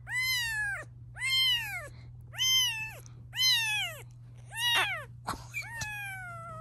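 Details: A protective mother cat, upset at her kittens being filmed, meows insistently: five loud, arched meows at roughly one-second intervals, then shorter broken cries. Faint steady hum beneath.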